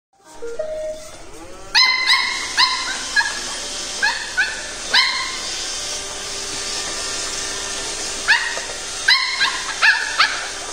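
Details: A Pembroke Welsh Corgi puppy fighting a robot vacuum barks in shrill, clipped yaps, singly or in quick pairs and triplets with pauses, over the robot's constant low mechanical whirring.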